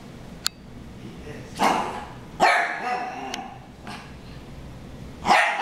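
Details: Dogs named Harry and Ferris in a brawl: a few scattered sharp barks with a longer harsh snarling bark near the middle, separated by quiet stretches with faint clicks.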